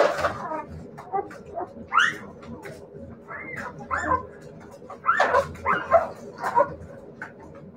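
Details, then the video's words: Whimpering Siberian Husky puppies: bursts of upward-sweeping whines and looping yelps, louder toward the end, over soft rustling and faint low background sound. "siberian husky puppies"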